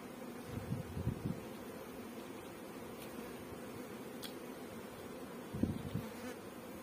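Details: Honey bees on a bee farm in Pakistan, a steady low droning hum running throughout, with a few brief louder bumps and soft clicks near the start and end.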